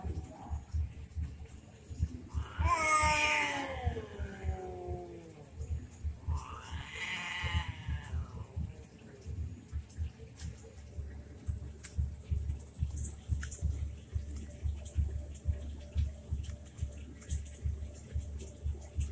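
A cat gives a drawn-out, wavering yowl that slides downward, then a shorter second wail, in a cat fight.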